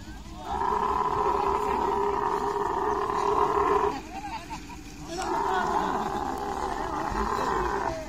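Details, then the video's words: Camel during mating, giving two long, loud, throaty pulsing roars of about three seconds each, separated by a brief pause, with a rough gurgling buzz running through each burst. "Camel love full video|| mating sounds"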